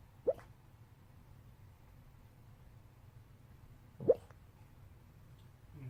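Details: Sleeping dog Eungsuni letting out occasional squeaky 'ppyok' noises: two sharp, sudden mid-pitched squeaks about four seconds apart in a quiet indoor room, followed by a soft, faint rustle at the end.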